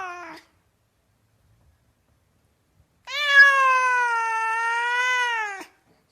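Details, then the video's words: A cat gives a brief falling meow, then after a pause a long, steady, drawn-out meow lasting over two seconds, level in pitch with a slight dip before it ends; quiet room, no other sounds. "The Gentle Sounds of a Cat Meowing — 13 Reasons Behind Every Meow"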